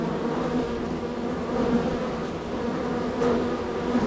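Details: Honey bee hive in a row, bees very active with frequent entries and departures; steady droning hum, with short brighter buzzes as single bees fly past near the end.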